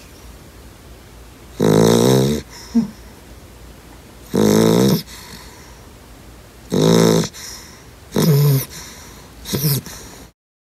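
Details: Sleeping two-month-old yellow Lab puppy gives five heavy buzzing snores about every 2.5 seconds, with a small snort after the first one, in a quiet indoor setting.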